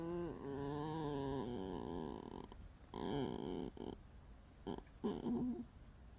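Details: Pet red fox Alice produces a long, low, buzzy creaking moan that bends in pitch, then breaks into shorter grunting and squeaky bursts.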